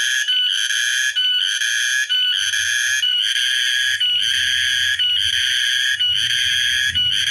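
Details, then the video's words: On Tuesday, 14 March 2023, a cicada (tonggeret) sings a loud, shrill buzzing drone, broken by brief gaps about once a second. "Tonggeret bersuara - nyanyian binatang - binatang bersuara"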